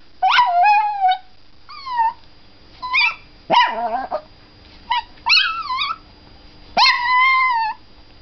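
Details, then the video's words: Chihuahua singing along to a squeaking toy: a series of short, high, wavering yelps and howls, some sliding downward, others rising then falling, in bursts about a second apart, with a faint steady tone underneath. "Singing Chihuahua 絶唱チワワ"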